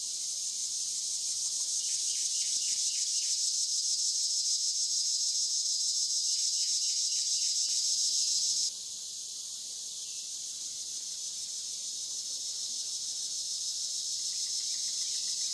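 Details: Dusk-to-dawn recording on the Licking River in Morning View, where cicadas give a loud continuous high buzz with fast regular pulses; the drone drops in volume partway through, and faint chirping trills sound in the background.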